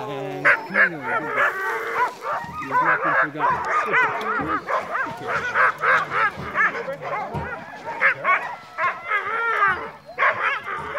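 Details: Group of crossbred husky mix sled dogs at night in heavy snowfall, giving a continuous jumble of high whining yips and wavering howl-like cries, several voices overlapping, with rapid irregular bursts throughout.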